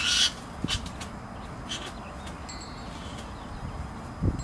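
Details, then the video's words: Skunks in a spat in a sparse hedge beside a driveway, giving harsh, broadband screeches in short bursts, one loud burst at the start and fainter ones after, with low rumbling background noise between. "Skunk Spat"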